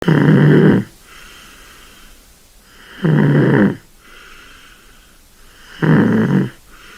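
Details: Sleeping kitten snoring: loud rasping breaths about every three seconds, each lasting under a second, separated by quiet pauses with faint softer exhalations in an indoor setting.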